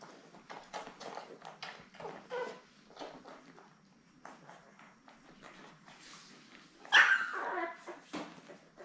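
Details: Labrador Retriever litter of seven newborn puppies with their mother, streamed from an indoor puppy cam; faint scattered squeaks and whimpers, then a sudden louder high yelp near the end followed by soft rustling.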